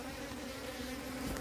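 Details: A swarm of wild bees from a split colony, relocated after its queen is caught, giving a dense continuous drone with strong low harmonic bands, close and unbroken, with faint rustling.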